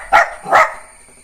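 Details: Jack Russell Terrier puppy named Neo giving two quick, high yappy barks close together, then a faint steady electronic whine in the background.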